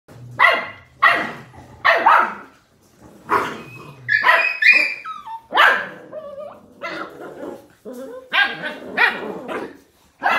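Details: Australian Cattle Dog (Blue Heeler) puppies playing: a string of sharp, high barks and yelps about every half second, with squealing whines between them.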